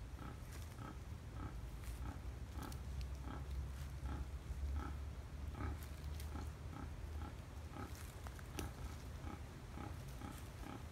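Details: Rhythmic short grunts from wild boars, taken 5 November 2015 at Tampa, repeating roughly twice a second in bursts, over persistent low rumble and scattered crackles.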